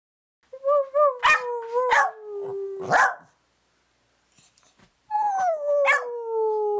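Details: A house dog called Maggie, keen on cake, howls and yaps in back-and-forth style: a short howl broken by sharp yip bursts, a pause, then a long, smoothly falling howl with another yip.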